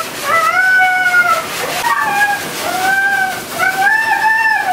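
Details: Siberian Husky named Meeka yelling dramatically while being taken to the groomers; long wavering tonal howls, several drawn-out cries with rising and falling pitch in succession, over a faint background hiss.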